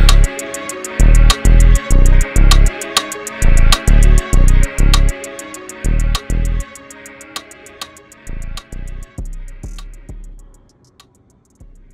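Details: Rhythmic plucked guitar and drum music with steady, evenly spaced beats that thin out and fade toward the end.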